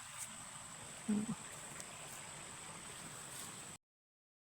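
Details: Faint steady outdoor hiss with a brief low thump, ending in silence.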